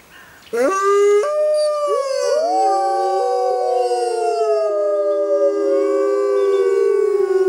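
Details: Six Arctic wolves launch suddenly into a group howl: one voice begins, others join with rising, bending notes, and the layered chorus then holds long steady tones that drift slowly lower.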